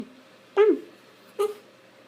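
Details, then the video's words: A Shiba Inu dog making its funny sound indoors: two short, bending yelps about 0.8 seconds apart, the first rising then dropping, the second shorter, in a quiet room with a faint steady hum. "Shiba inu loves making funny sound."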